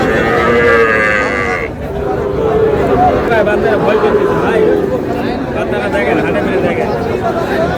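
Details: Sahiwal cattle at a cattle market on 30 July, where a Gaibandha farmer buys a Sahiwal bull calf: one long, deep, drawn-out moo in the opening seconds, then steady crowd chatter and bargaining voices.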